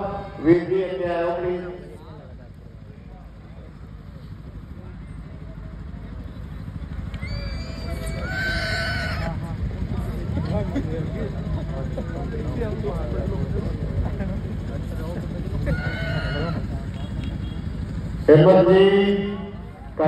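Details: Horses at a 2024 fair ring, where fillies are shown in competition. Several bright, ringing whinnies burst out and fade, set apart by stretches of crowd noise. A man speaks at the start, and an announcer talks over the general bustle.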